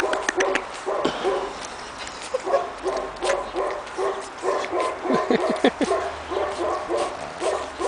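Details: Several two-and-a-half-month-old Pekingese puppies on their first outing in snow, Tallinn, Estonia, give rapid repeated high yips and squeaky barks in quick bursts, with a few brief lower whines.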